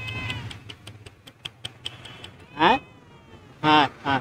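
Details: Stray cat that lost its family and went hungry cries out in three sharp, wavering meows in the last two seconds, after a run of soft ticking clicks and faint Bengali calling.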